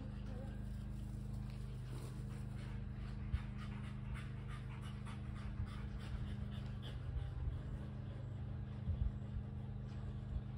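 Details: Panting from a Kelpie cross and a Border Collie during a tennis-ball chase, fast regular breathy huffs running the whole time beneath a constant deep background hum.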